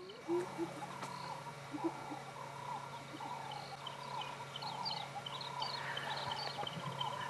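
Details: On January 12, 2017, in long grass and dense trees, distant spotted hyenas give a choppy, giggling laugh over a steady engine hum, not a whoop; they sound excited, possibly over feeding scraps.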